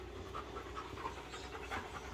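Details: American Bully named Akin during a focus training session, panting steadily in soft, breathy bursts over a low constant hum in the background.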